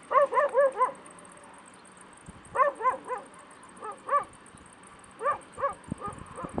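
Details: A run of bright, downward-slurred yips from stray puppies in Bursa, Turkey, grouped in threes with short gaps, plus light tapping and rustling near the end.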